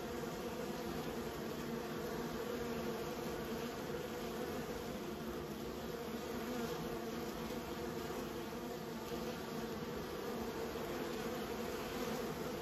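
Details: Honey bees in a keeper's care give off an unbroken droning hum, many wings buzzing together at a low, steady pitch throughout. No other sounds stand out.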